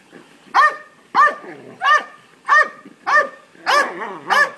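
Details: Belgian Malinois, a three-year-old male, barking for a ball; six evenly spaced loud barks, about one every two-thirds of a second, the last two closer together.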